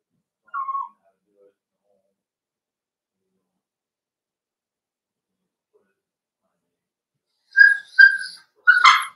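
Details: Cavalier King Charles Spaniel puppies playing in an indoor home puppy pen: a short high whine near the start, a long quiet pause, then three sharp, bright yelps in quick succession at the end.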